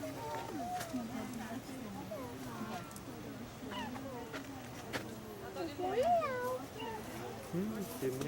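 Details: Captive female cheetah at Ree Park Safari, Ebeltoft, Denmark, on 29 August 2017, giving a run of short, high, chirping meows that bend up and down, repeated every second or so, while visitors talk in the background.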